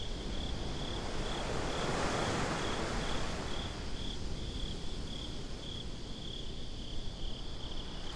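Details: At a beach by night, crickets produce a rapid, shrill, regularly pulsed chirp throughout this binaural recording, with surf surging early on and then settling into a softer hiss.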